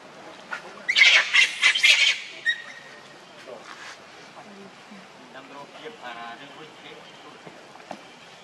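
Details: Hungry baby monkey, Leo or Rainbow, angrily crying and begging its mother for milk: a burst of harsh, high screeching squeals over the first two seconds, then softer scattered squeaks and chirps against a quiet outdoor background.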